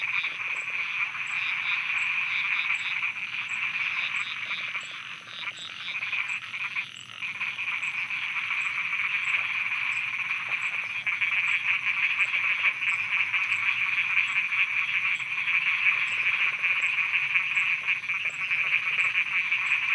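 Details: Frogs croaking at night in Thailand: a dense, unbroken chorus with a steady high shrill ringing. Quick pulsed croaks repeat about three times a second, and fainter ticking sounds run through the high range throughout.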